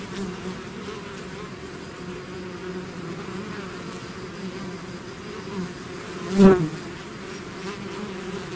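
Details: Continuous low hum of a bee swarm emerging from its hive, steady throughout, with a single bee zooming close by late in the recording for a sharp rise in loudness.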